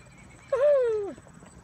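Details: Falabella miniature horses, excited and running, with their mother nearby; one short whinny lasting about half a second, a loud tonal call that starts high and slides steadily downward before breaking off, over quiet outdoor background.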